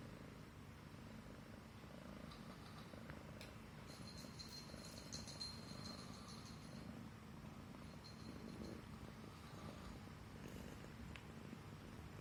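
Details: Himalayan Persian cat purring while stroked on the neck, affectionate and at ease; low continuous rumble under a thin high electronic whine and occasional clicks.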